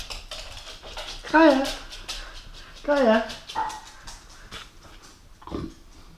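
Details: Keeshond indoors during an invisible food challenge. Two short whiny vocalizations that rise and fall, near one and a half and three seconds, then a softer brief note, while a person keeps talking.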